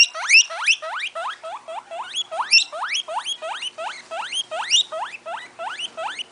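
A guinea pig gives a rapid series of high, upward-sweeping squeaky whistles, several each second.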